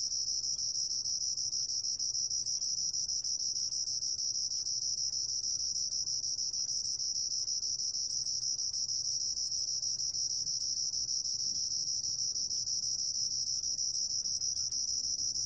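A continuous high, even cricket trill holds at one bright pitch for the whole clip, with no pauses or other clear sounds.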